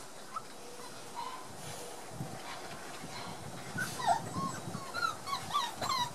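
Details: Border Collie puppies, one month old, at play on 4 October 2016: thin whining squeaks, a few at first and then a denser cluster near the end, with scuffling and low thumps of movement beneath.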